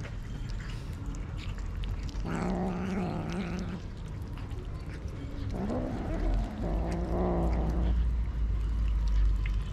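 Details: Mother cat with three kittens, strays being fed: drawn-out, low, harmonic-rich wailing cries in three bursts over about six seconds, with background rumble.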